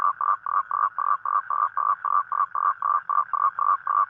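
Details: A toad calls at night to attract a mate on rainy nights: quick, rattling croaks, nearly four a second, each a short buzzy burst in a regular train over a silent backdrop.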